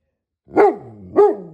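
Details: Great Pyrenees giving two deep, loud barks about half a second apart, each a short rising-falling burst with a fading tail between.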